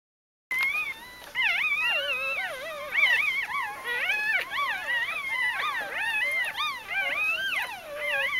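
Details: Newborn puppies from Ari's G-litter, recorded across birth and the first four days of life, 1–4 October 2012, raise a dense chorus of overlapping high, wavering squeals and whines that rise and fall continuously.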